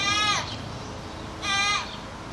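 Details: Goat yelling: two loud, strained, scream-like calls about a second and a half apart, each holding a bright, steady tone before sliding downward at the end, with a low background rumble.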